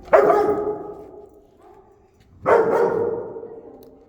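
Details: Older dog teaching a young dog its limits during a training session led by a dog communication specialist; two loud, sharp barks about two and a half seconds apart, each trailing off briefly, little else heard.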